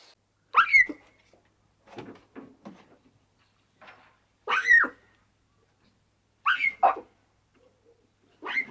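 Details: Playful young lion cubs in the wild, frolicking and bonding: sharp, harmonic squalls and mews rise and fall in bursts about every two seconds, with softer grunting calls in between against a quiet background.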